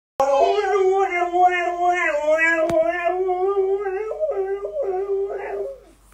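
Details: Pet Siberian Husky howling to wake its owner like an alarm clock, a long harmonic-rich wavering howl holding steady then dipping and rising in short steps over about six seconds, close and loud indoors.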